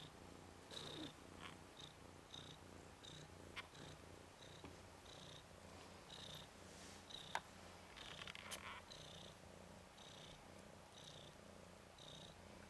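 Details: Nikita, a red/cream colourpoint Ragdoll tomcat kitten aged 10 days, one of Zaphirra's three sons, frolicking on his back. A softer, steady low purr carries faint, repeated high squeaks and some rustling.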